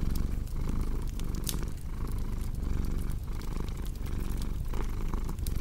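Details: Low, throaty cat purr in steady breath-paced waves, accompanied by loud crackles and pops from a burning fireplace.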